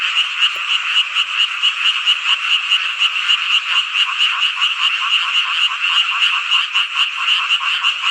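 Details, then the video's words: Frogs chorusing on a midsummer night in rural Hongcheon, Gangwon-do, Korea: a loud, continuous croaking mass with a clear rhythmic throb of pulses, several per second, over an unbroken background of calls. "한여름밤의 #개구리 합창단 노래소리"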